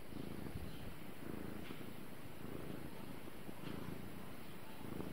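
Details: Gara, a pet cat, purring steadily in a low, rumbling drone that swells and eases in slow breathing cycles roughly once a second; no other clear sounds.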